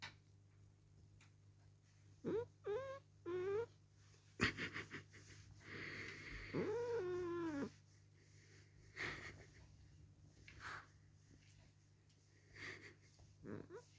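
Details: Held and kissed against his liking, the cat Dale complains with a string of short rising meows, a sharp knock, then a long wavering yowl, followed by scattered thumps and a final brief meow indoors.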